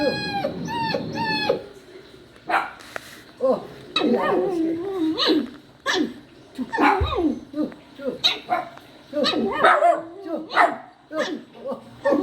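A poodle puppy cries with high, wavering whimpers and drawn-out yowls that rise and fall.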